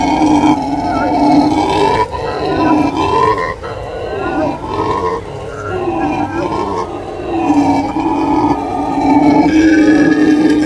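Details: Chorus of howling howler monkeys, deep rasping roars that swell and ease in waves, dipping quieter around four to six seconds before building loud again toward the end.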